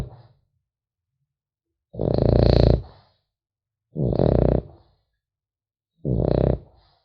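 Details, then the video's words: Rough, rattling snores from a sleeping French Bulldog puppy indoors, three steady breaths evenly spaced about two seconds apart in otherwise silent surroundings. "Храп щенка французского бульдога"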